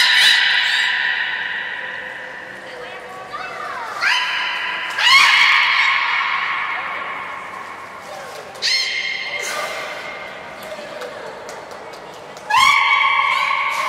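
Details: Beluga named Nana during a training session at Port of Nagoya Public Aquarium, 13 April 2019: loud rising and falling whistles with rich harmonics, several long tonal calls sliding upward, broken by short pauses, in a reverberant indoor space.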